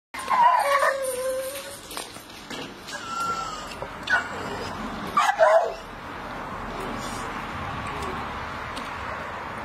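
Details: Malakli, a big-headed dog breed, gives high, wavering whines and yelping calls that slide downward in pitch, with a few short bursts around the middle, over steady background hiss.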